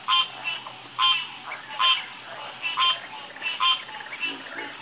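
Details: Nighttime frog croaking up close: loud, ringing croaks about every second, each a quick rasping burst, with fainter frogs and a steady high-pitched drone in the background.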